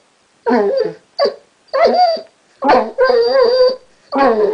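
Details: Pet basset Chester 'talks' indoors: a chattering run of warbling, wavering whines and short yips, about six uneven bursts in under five seconds, pitch bending up and down like speech.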